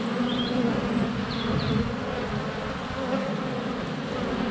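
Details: Close-up hum of honey bees flying about their hive entrance in February sunshine, a GoPro Hero 7 Black under a foot away; steady low buzzing, with a few faint high bird chirps above.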